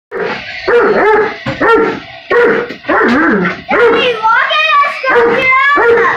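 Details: Doberman Pinscher reacting to a remote-control car it dislikes: loud, harsh barks run together with whining, rising and falling yelps in a nearly continuous agitated stream across six seconds.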